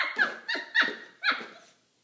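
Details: Maltipoo puppy at play with a milk jug, making three or four short, whiny, high-pitched yelps in fast succession that fade out in a small room.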